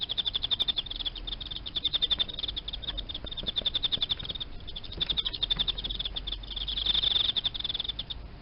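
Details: Captive Emma field cricket kept indoors among live-feed insects, singing a steady run of high, rapidly repeated chirp pulses in bursts with brief dips in loudness and no pause longer than a moment.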